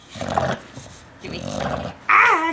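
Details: Bulldog at home in Studio City, growling during a tug-of-war game while a person repeatedly says 'give me'; two low rumbling growl bursts, then a sharp high squeal near the end.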